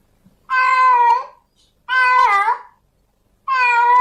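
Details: A female domestic cat in heat calls for a male: long harmonic meows, the second one wavering and rising at its end, repeated roughly every one and a half seconds.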